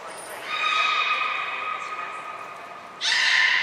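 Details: Beluga during pool transfer and training at Port of Nagoya Public Aquarium, 23 February 2021, with Hodoi, Taanya and Mirai; one sustained, even harmonic whistle lasts over two seconds, then an abrupt, brighter squeal starts.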